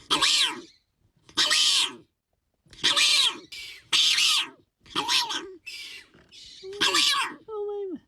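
A hyrax gives loud, harsh, high-pitched screams in bursts of under a second, repeated about every second and a half. The last ones trail into a wavering squeal.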